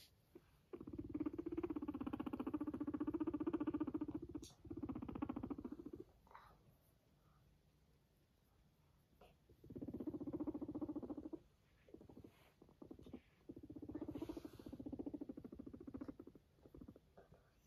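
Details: Pet guinea pig purring as it walks beside its owner, showing affection indoors: low, rapidly pulsed rumbling buzz in long bursts of about two to five seconds, separated by quiet gaps, with faint rustling and soft thumps.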